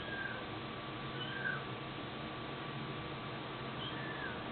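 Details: Cat with a few soft, arching meows, one early, one in the middle and one near the end, partly buried in continuous hiss and a faint steady tone.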